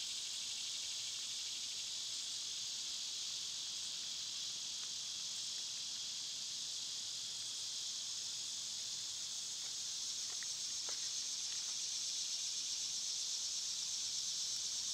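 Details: A constant buzzing wall of summertime cicada song, high and unchanging, with a couple of thin short chirps breaking through near the end.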